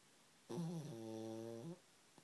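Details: Pug named Ridley asleep and snoring in a comfy blanket: a single drawn-out, droning snore over a second long with stacked even harmonics, rising slightly at the start and ending abruptly, in a quiet small room.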